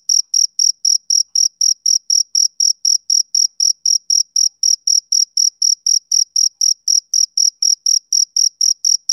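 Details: Even, high-pitched chirps from a male cricket tick along about four times a second, some three dozen pulses, with a quiet background.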